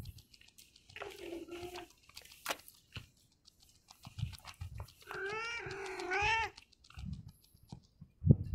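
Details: Yellow pregnant stray cat, early morning, following a person; two harmonic meows, a shorter one near the first second and a longer wavering one around five to six and a half seconds, with scattered clicks and rustling between.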